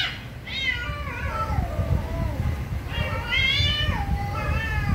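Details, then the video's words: Very angry cats calling loudly in overlapping, drawn-out meows, each bending downward in pitch. Several cries follow one another with short gaps, over a constant low rumbling background. "VERY ANGRY CATS||CAT MEOWING VERY LOUDLY"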